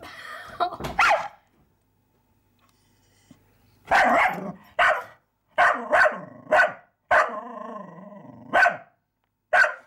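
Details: Dog named Sparx barking at a mouse: a short burst of barks at the start, then after a quiet gap a run of about eight sharp, loud barks, one drawn out and growly, spaced roughly half a second to a second apart.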